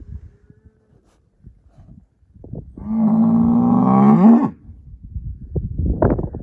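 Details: Angus herd sire bull, born spring 2018, giving one long, deep, steady moo of nearly two seconds that rises slightly at the end, with soft shuffling and low thuds before and after.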